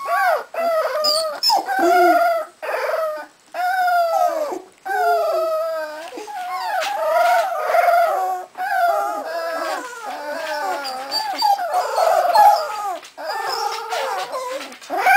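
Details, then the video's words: Cardigan Welsh Corgi puppy litter, only 3.5 weeks old, at a kennel in Sweden, howling in bursts: short rising-and-falling harmonic wails separated by brief gaps, later blending into a denser overlapping chorus. "Howling Welsh Corgi Cardigan puppies"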